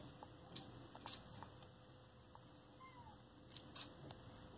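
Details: Two sister cats talking to each other: one faint, brief meow that slides downward near the middle, over a steady low background hum.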